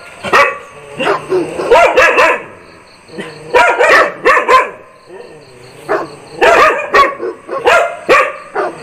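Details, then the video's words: Angry dog barking loudly, sharp harsh barks fired in tight bursts of two to four, four bursts across nine seconds with short pauses between, a faint steady high tone in the background. "DOG BARKING LOUDLY"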